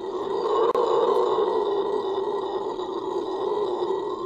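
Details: Venezuelan red howler monkey's loud, sustained, rasping roar, one unbroken deep droning howl that barely wavers in pitch or volume.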